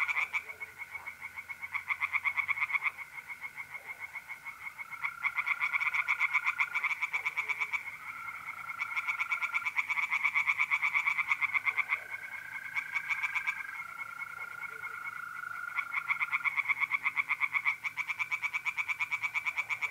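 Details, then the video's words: Singing tree frogs in a pond on an April night in north-east Italy, a dense chorus of fast rapid-fire croaks in bursts, with a steady trill of mole crickets running underneath. "relaxing singing tree frogs in pond"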